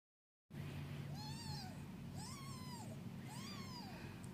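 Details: Domestic cat mother with her newborn kittens, grooming them before a nap: three clear arched meows, each rising then falling, spaced about a second apart, over a steady low background hum.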